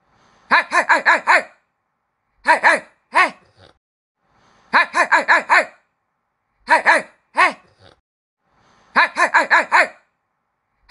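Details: Yapping puppies indoors, with a repeating sequence: a fast string of five sharp, high barks, then a doubled yap and a single one. The cycle recurs roughly every four seconds against silence.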